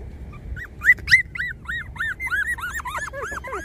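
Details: Twenty-four-day-old puppies whine in a rapid run of high, arched squeaks, each rising then falling, tumbling closer together toward the end, with a few faint lower squeals underneath and no other sounds.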